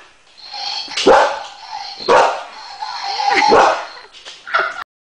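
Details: Boxer confronting a Dalek toy, giving loud single barks about once a second, each a short burst sliding downward, with a continuous mechanical tone from the toy running underneath.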